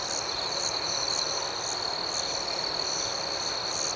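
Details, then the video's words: Night crickets in an unbroken high trill, with softer pulsed chirps repeating above it at a steady, unhurried pace throughout. "Soothing Cricket Sounds"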